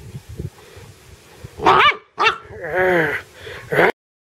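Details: Excited dog trying to catch a bug gives a loud bark, another bark, then a drawn-out whining yelp that rises and falls, and a final bark, with a person's voice encouraging it just before.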